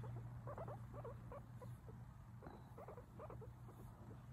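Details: Pet guinea pig named Mimi chatting away in bursts of short squeaky rising chirps, several quick notes close together, a pause, then more clusters, over a steady low hum.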